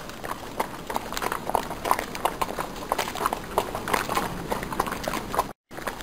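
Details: Horse hooves clopping in a quick, uneven beat, sharp knocks with a faint ringing tone, about three strikes each second, broken by one brief moment of silence near the end.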